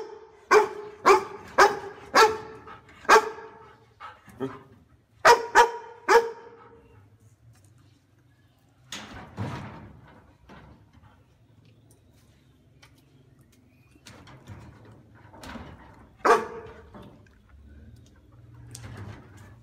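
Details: House-guarding dog delivers a rapid volley of loud, resonant barks over the first six seconds, then falls mostly quiet, with a few fainter, scattered barks and low background rumble afterward.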